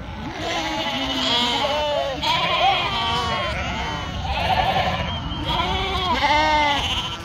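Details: Flock of farmed sheep in northern Spain bleating almost continuously, quavering calls of mixed pitch overlapping one another, with some lower and some higher voices.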